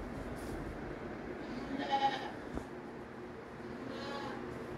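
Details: Two baby goats playing in a barn on a ranch on 20 April 2024, their first time out of the pen; two short, faint nasal bleats, one near the middle and one near the end, over steady barn rustling and shuffling.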